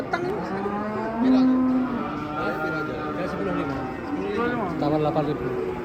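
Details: Masked cow rampaging wildly as it is unloaded from a truck: a sustained, deep, harmonic moo rises slightly and holds for about a second near the start, with overlapping voices and crowd noise throughout.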